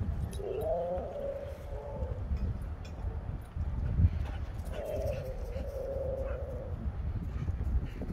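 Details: Two husky brothers playing rough at a dog park, one very wound up: two drawn-out, wavering whines about two seconds long, separated by a pause, over steady low outdoor rumble and faint background voices.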